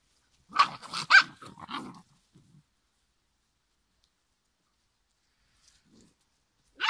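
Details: Five-week-old giant schnauzer puppies: a quick burst of three or four high yapping barks with growly undertones, then near silence and one more yap at the end.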